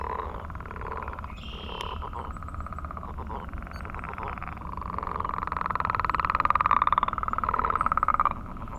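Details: Chorus of frogs giving mating calls on a millrace one morning; rapid pulsed, buzzy trills overlap and build to a loud, sustained trill in the second half.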